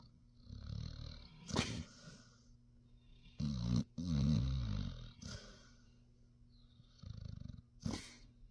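A Basset Hound snores in low, rumbling bursts with rough, raspy breaths between.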